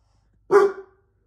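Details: A pet dog indoors barking at a computer screen, starting again whenever the screen changes: a single sharp, loud bark lasting under half a second, then silence.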